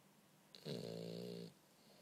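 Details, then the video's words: One long buzzing snore, close and loud, from Bumble B the sleeping French Bulldog, a steady rattling drone of nearly a second preceded by a brief sniff. "Bumble B snore"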